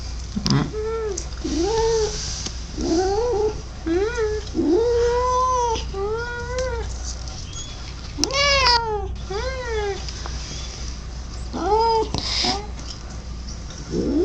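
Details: Pet cat making weird noises: a continuous series of short, wavering, arched yowls, some rising to higher cries, repeated roughly every second for over ten seconds, over a low camera hum.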